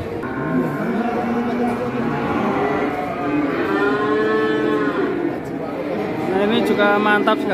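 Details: Huge cattle filmed one morning in Indonesia, bought and hauled away without haggling: long, drawn-out lowing moos overlap and swell, harmonic and steady, with several bellows running into one another and a faint murmur of people.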